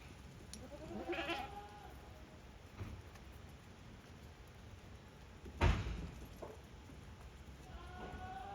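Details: Farm goats making their own way back into their pens on 5 December 2023; a wavering bleat early on and a fainter one near the end, with a loud thump midway and steady background hiss.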